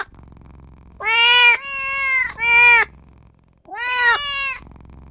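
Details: Tiny newborn kitten calling for its mother and owner, pleading with four bright, harmonic meows, three in a quick run and one after a short pause, each slightly arched in pitch.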